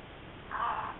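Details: One of a pair of gray foxes in Southern California gives a single harsh, raspy, crow-like call under half a second long, over faint background hiss.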